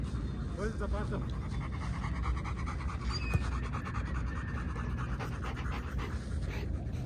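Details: Young German Shepherd, ten months old, breathing in quick, continuous rasping pants. Brief snatches of human speech are heard near the start.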